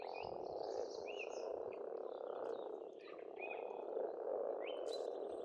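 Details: Massed frogs croak without pause at a pond in Estonia in spring, a thick mid-range hum that dips briefly midway. Scattered bird whistles and chirps rise above it.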